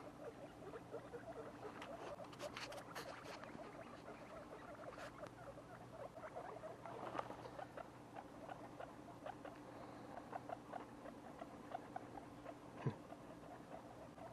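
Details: Baby guinea pigs, two weeks old, giving a steady stream of quiet, quick squeaky chirps in an irregular patter, with a sharp click near the end and a low background hum.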